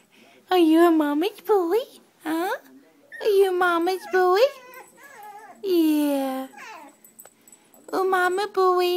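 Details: Milo, a Chiweenie left behind on the sofa, protests at his owner with a string of drawn-out, whiny, howl-like vocalizations, each bending up and down in pitch and spaced by short pauses, heard indoors in a small room.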